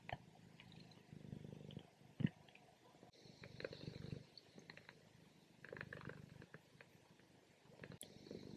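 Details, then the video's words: Napping female cat giving soft, irregular low rumbles between quieter breaths as purring fades toward snoring during her morning sleep, with a brief click near the middle. "From Purring To Snoring | Relaxing Cat Nap"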